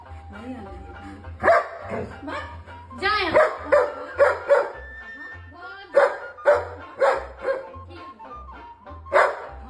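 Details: Dog making noise while it chases a girl and runs to its mother: a string of short, loud barks in bursts, some rapid and some spaced about a second apart, mixed with whining tones, background music and a person talking.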